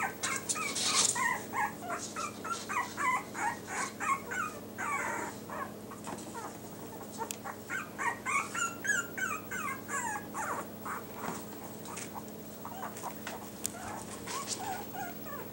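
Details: Yorkshire Terrier puppies, one nicknamed trouble maker blue boy, with Hope in a light blue collar. Bursts of shrill wavering whines and squeals come in quick runs, pause, then resume, with light clicks behind.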